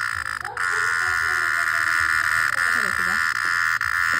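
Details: Cicada. A cicada sings a continuous, even, high-pitched drone that holds without pause from start to finish. Soft human voices murmur in the background beneath the buzz.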